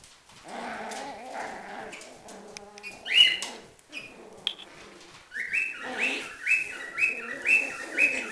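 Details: Schipperke dogs fighting: deep rumbling growls fill the first seconds, then a run of sharp, high, squealing yelps repeats about once a second toward the end.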